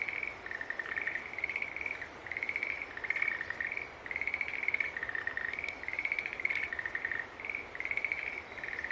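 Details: Continuous green tree frog chorus: back-to-back buzzy trills of similar pitch, slightly rising and falling, forming an almost unbroken pulsing stream with faint background hiss.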